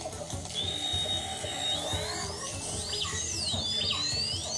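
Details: Two dolphins off Portugal's Algarve coast trade high, sweeping signature whistles, calling each other by name; each whistle is a distinctive rising and falling contour unique to one dolphin and used to identify it, like a name.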